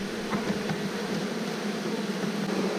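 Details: A dense, steady hum of many Western honey bees buzzing at a low drone during the rescue of a colony lodged behind window shutters, being moved into a nucleus hive on 2 June 2018.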